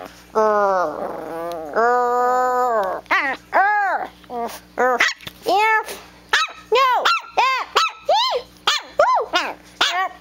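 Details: Back-talking Chiweenie puppy Presly, aged one to two months, squabbling with its mother: two long wavering whines open, then a rapid series of short arched yelps, about two per second, over a faint constant hum.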